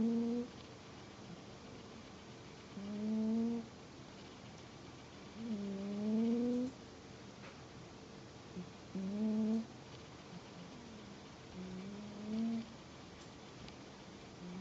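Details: Pet cat snoring indoors, five steady breathing sounds roughly every three seconds, each a short droning tone with stacked harmonics rising slightly in pitch, quiet gaps between.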